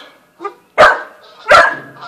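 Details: Young Australian Shepherd and Corgi mix dog, newly added to the family, meeting a cat for one of the first times; a faint short sound, then two sharp, loud barks about 0.7 seconds apart, each with a brief echoing tail.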